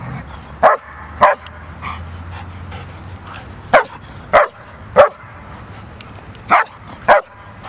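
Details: German Shepherds fighting: eight sharp, loud barks in under eight seconds, irregularly spaced, some in quick pairs, over a low steady hum.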